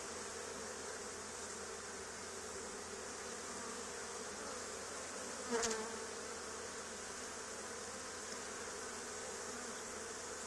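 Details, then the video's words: Honey bee swarm clustered on an old barn wall two days after another hive's cutout: an unbroken, level, low humming buzz with a single sharp knock midway. "Honey Bee Swarm"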